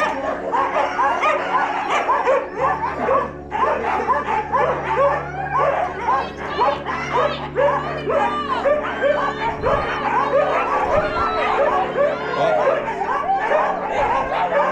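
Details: Team of Siberian Huskies, sled dogs at Huskyhaven kennels near Stonehaven, Aberdeenshire, Scotland, during a mushing experience. A dense, continuous chorus of excited yips, barks and whines overlaps throughout, with a steady low hum beneath.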